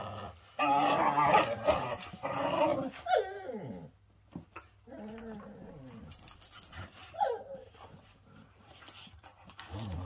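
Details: Playing whippets, male dogs in a lively bout: loud, throaty harmonic growls for the first few seconds, then whiny notes sliding downward, more broken grumbles, and another falling whine-growl near the end, amid scuffling.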